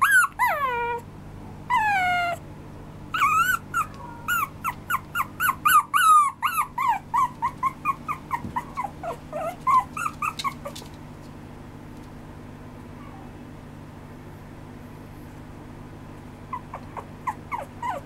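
A small Maltese Shih Tzu mix dog gives rapid, high, falling whines and yips over a low steady hum.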